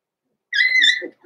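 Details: Six-week-old blenheim Cavalier King Charles Spaniel puppy, from a litter born November 14, 2022, in an indoor puppy pen; one loud, high, drawn-out whining yelp, steady in pitch for about half a second, followed by two softer low grunts.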